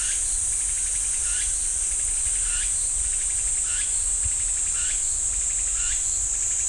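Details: Cicadas droning in a pine forest near Ssanggyesa temple in Jirisan National Park: a constant high, hissing buzz overlaid by brief upward-sweeping chirps recurring roughly every second.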